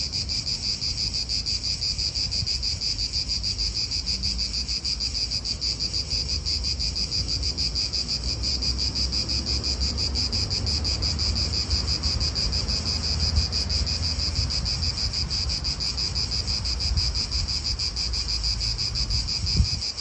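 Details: Cicadas in an Italian park sing a steady, unbroken high buzz with a fainter lower band beneath, holding level throughout, while wind rumbles low in the background.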